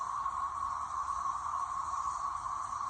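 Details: Thousands of periodical cicadas in full chorus, a steady, pulsing, siren-like drone, in a backyard facing woods in the early afternoon of Thursday, May 2, 2024, with some bumblebees also around.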